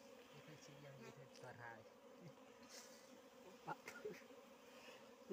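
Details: Steady humming buzz of wild bees during honey harvesting in Nepal, with short bursts of speech early on and a few sharp clicks and taps over the drone.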